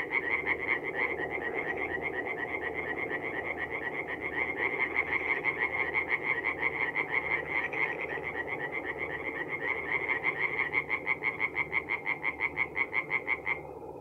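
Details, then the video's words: Several tree frogs sing at a forest pond by night in mid-April in North-East Italy, with a continuous, rapid, rasping croak train layered over a thick background hum of other frogs; the foreground caller stops abruptly at the end. "relaxing forest pond by night with singing tree frogs"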